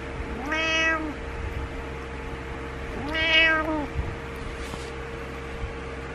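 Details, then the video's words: Domestic cat meowing in the morning, frustrated and wanting its owner to get up; two long, drawn-out harmonic meows about two seconds apart, the second rising then falling, over a steady low electrical hum. "Frustrated Morning Meows"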